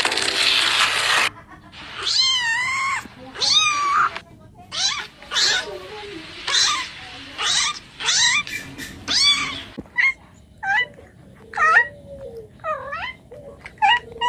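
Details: Cat giving repeated rising-and-falling meows, a dozen or so in quick succession, some drawn out and wavering, others short and clipped, after an opening burst of hissing noise.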